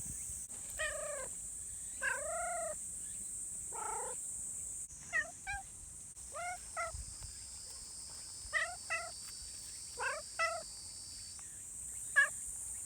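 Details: Community cats, friendly and eager for attention, give clear meows spaced about a second apart, some short and clipped, others longer with a bending pitch. A faint high hum sits in the background.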